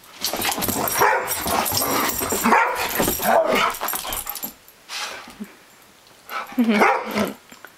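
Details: German Shorthaired Pointer playing with a three-legged companion, squabbling over a squeaky toy duck; dense run of harsh, overlapping barks and growls for several seconds, a short lull, then one more loud burst of yapping.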